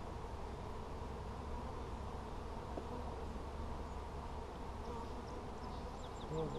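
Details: Colony of honey bees checked on 17 July 2020, frames covered with honey: a constant low, humming drone of many wings, steady and unbroken, with a faint tap midway and a soft voice starting at the very end.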